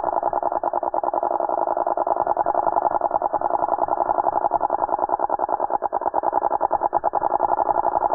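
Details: A hand-caught Linne's cicada (Neotibicen linnei) in Middletown, NJ, filmed at lunchtime, gives a harsh, rattling alarm squawk, a dense stream of rapid buzzy pulses.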